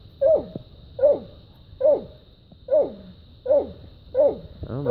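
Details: Dog barking steadily at a treed raccoon after a fight; six evenly spaced, clear barks with a drooping tail, about one every three quarters of a second, then a rougher yelp at the close.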